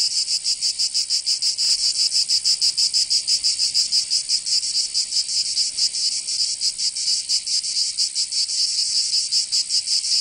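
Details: Summer cicada chorus from Provence in the south of France, a loud shrill buzz throbbing in quick pulses, slightly uneven in rhythm, filling the whole clip without other animals or voices.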